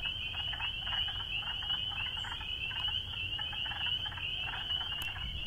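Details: Spring peepers calling in a dense chorus: high, piercing peeps overlap into a continuous shrill band, with individual calls pulsing rapidly throughout and a low background rumble.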